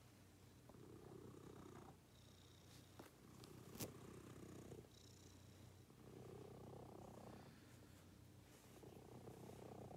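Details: A house cat's soft, throbbing purr during the morning routine, rising and falling in long breaths, broken by a few sharp clicks and taps nearby.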